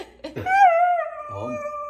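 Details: Female Siberian Husky, a talking pet, reacting indoors to being kissed; a drawn-out whining howl held steady then slowly falling, preceded by short vocal sounds, with soft music in the background.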